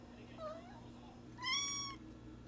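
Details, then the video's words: Cat meowing twice: a soft brief mew, then a louder, longer, bright meow held for about half a second with rich overtones, against a low background hum. "Funny Cats and Kittens Meowing"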